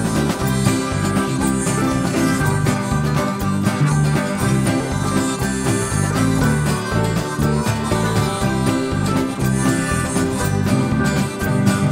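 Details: Lively country music with plucked banjo and guitar plays steadily throughout, with no animal sound heard.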